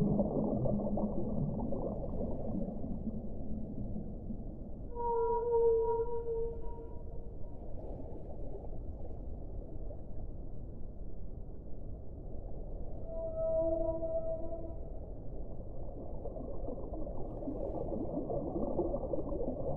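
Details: Two separate whale calls rise out of a hissing underwater background: each is a drawn-out, steady moan stacked with fainter higher overtones, the first around five seconds, the second near thirteen, with quiet rumbling between.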